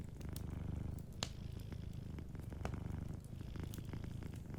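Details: Deep, pulsing purr from a cat asleep by a warm fire, thick and unbroken across the whole stretch, with faint wood crackles ticking over it.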